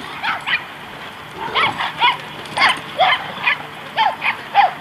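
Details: Great Danes Zora and Austen, the last two left playing at White Oak dog park, Encino, California, March 2014. Short, clipped barks arrive singly and in pairs, roughly every half second, with a quiet outdoor background.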